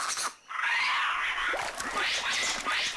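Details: White-faced capuchins in Costa Rica, living by streams, give harsh, rising, overlapping alarm calls meaning "snake", one of their predator-specific calls; the whole troop leaps out of the water into the trees.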